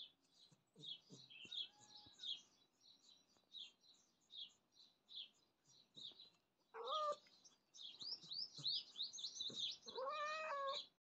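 A domestic cat gives two drawn-out, rising-and-falling meows over steady bird chirping.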